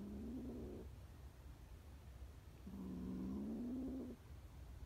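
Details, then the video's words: Scared stray kittens; two low, flat, drawn-out mewing calls, the second longer and slightly rising, over a noisy low rumble. "scared kittens trusts a human and don't trust her breed"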